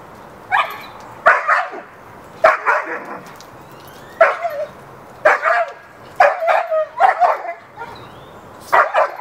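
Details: Hera, a pet dog in a backyard, barking to get the neighbor's dog to play with her; short sharp barks in bursts of two or three, spaced irregularly about every second, over a faint steady background hum.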